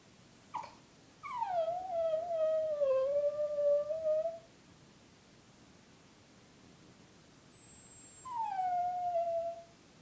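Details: Female Brussels Griffon Eva howls softly and beautifully. A faint sound comes first, then a wavering howl that starts high and drops, sustained for about three seconds. After a quiet gap, a second, shorter descending howl follows.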